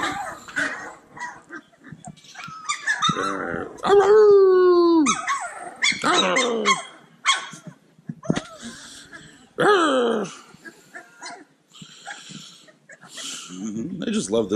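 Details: Several playful Cane Corso puppies yip and whine together in a busy chorus, with high, sliding, harmonic squeals and short sharp yelps overlapping, and one long drawn-out descending whine near the middle.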